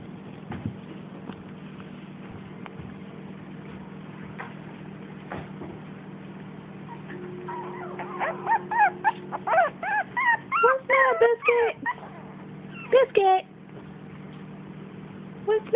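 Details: Five-week-old puppies whimpering and yipping: after a quiet stretch, a burst of short, high, wavering whines repeated rapidly and irregularly, some rising then falling, with a steady low hum underneath.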